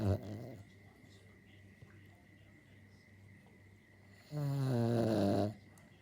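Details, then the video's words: Pet dog in Maleny, asleep and snoring: a low steady rumbling breath through most of the recording, then one louder, longer harmonic snore swelling for about a second near the end. "Our Dog Harry snoring."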